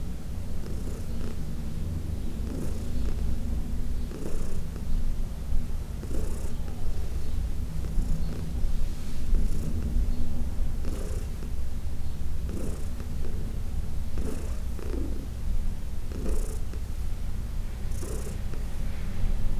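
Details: Continuous low, even purring from Heidi, an elderly shelter-adopted cat from the Humane Society of New York City, while being massaged on June 17, 2021, broken by regular faint brushing sounds about every two seconds.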